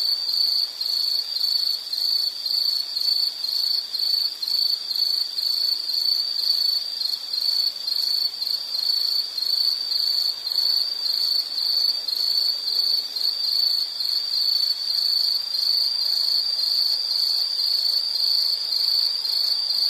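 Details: Steady insect chorus recorded as a nature sound for study or sleep: a sustained high-pitched trill pulsing about twice per second for the whole stretch, with a faint higher band.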